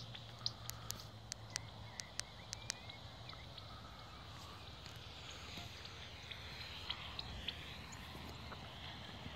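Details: Pipistrelle bats at Bowesfield Nature Reserve, where many bats fly, heard through a Magenta bat detector: sharp dry clicks in quick irregular series, densest over the first three seconds, then thinning into steady hiss with low background hum.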